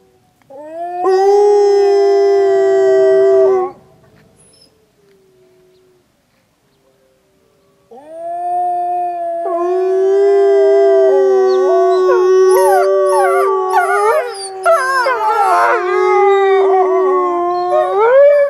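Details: Snowy day at Wolf Howl Animal Preserve: a single wolf holds a long even howl, silence follows, then the pack joins in with layered sustained howls and warbling, sliding higher cries building into a dense chorus.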